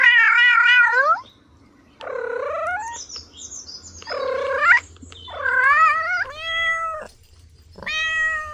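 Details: Kittens playing on grass let out loud, drawn-out meows, some wavering and rising in pitch, others steady and flat, separated by short quiet gaps.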